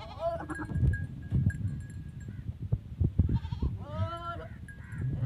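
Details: Short quavering goat bleats, one at the start and a longer wavering one near the end, during a goat's first mating with a teddy goat in Pakistan's Punjab province; thumping movement noise and a faint steady tone between.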